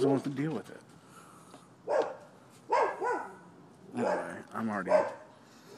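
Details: Neighbouring dogs barking on 7 December 2015 at a Florida property, a nuisance complaint; four short, harsh bark bursts come about a second apart after a brief stretch of voices at the start.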